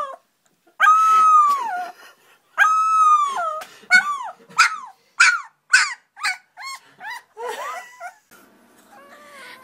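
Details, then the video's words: Young puppy learning to howl: two long harmonic wails that bend down at the end, followed by a rapid series of short yips and whimpers of varying pitch, ending in softer whines. "Cute Puppies Howling Compilation"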